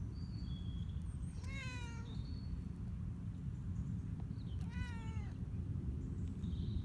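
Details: Male cat on one of his first outdoor walks on a leash, moving cautiously in improving weather. Two drawn-out meows, one falling slightly and one rising then falling, come about three seconds apart. A constant low outdoor rumble runs underneath.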